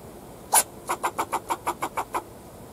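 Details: A fox squirrel in a backyard gives one sharp bark, then a quick run of rasping barks at a steady rhythm, barking at the person filming.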